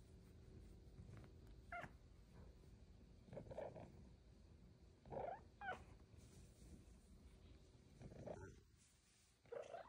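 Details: Luxe, a female Bengal cat, purring contentedly while receiving belly rubs and head scratches; a low, steady rumbling purr runs throughout, broken by a few short, higher chirping calls.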